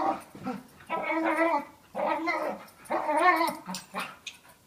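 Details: Two pet dogs play fighting, a year-old dog of about 40 lbs and a five-year-old of about 95 lbs; harmonic, moaning growl-whines in three long rising and falling bursts about a second apart.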